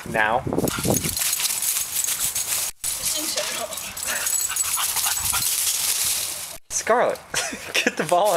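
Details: Scarlett, a dog, excitedly whining and yelping while playing with her green ball in a yard, high wavering whines at the start and end, with a person talking and urging her on between them.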